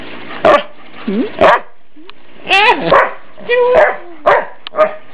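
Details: Household dog teased by family members, playfully worked up: loud barks interleaved with rising and falling whines and yelps, voices mixed in the room.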